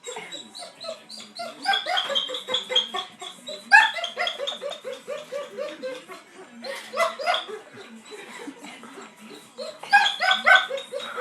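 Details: Dog named Achilles whining in a way that sounds like laughing: rapid, choppy, high-pitched whimpers strung into bursts of stuttering cries, rising and falling in waves with brief pauses between.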